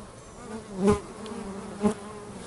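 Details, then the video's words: Steady low hum of working bees at home, broken by two single bees zipping past close, each a brief loud buzzing swell about a second apart. "Bees at Home"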